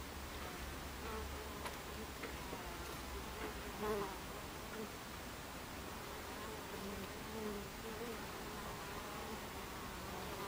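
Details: Buckfast bees at a beehive entrance on 26 July 2013 at 14:30, a steady low droning hum of many wings with faint wavering tones drifting in and out over a broad hissy background.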